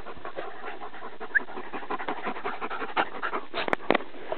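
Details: Playing on Exmoor, a Deerhound Lurcher and a Patterdale Terrier. A dog pants in rapid, even breaths throughout, and a few sharp clicks or scratches come near the end.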